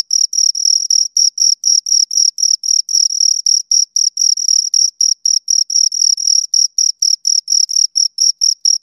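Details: Pair of crickets stridulating: rapid, evenly spaced high chirps, roughly four or five each second, piercing and metallic, continuing without pause against a silent background.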